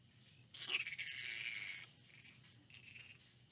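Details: One long, raspy, screeching squawk of about a second from a flying fox at the Lubee Bat Conservancy, Gainesville, Florida, October 4, 2019, then a quieter, shorter rasp, with low hum beneath.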